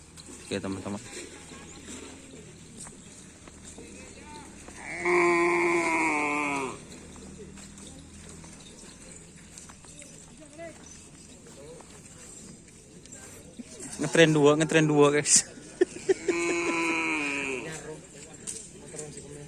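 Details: Cattle of the Anak Sakti team training for karapan sapi bull racing at the Aseamanis field: one drawn-out, tonal lowing call lasting under two seconds, with a second, more broken call later, amid background voices and shouting.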